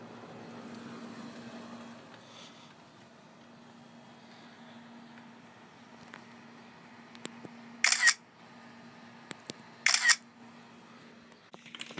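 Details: Quiet indoor room tone with a low steady hum, a few faint clicks and two short bursts of broadband noise near the end, with no animal calls.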